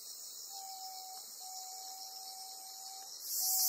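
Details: A black (bear) cicada on Amami Ōshima, caught by a golden-web spider, gives a dense, high hissing buzz throughout, surging into a harsher rasp at the end, over a thin steady mid-pitched whine with brief pauses.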